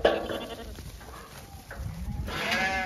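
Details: Sheep on a regenerative farm in County Kilkenny, Ireland, let out of the shed to the field and expecting food: a short harmonic bleat opens, quieter rustling and movement follow, then a second wavering bleat near the end.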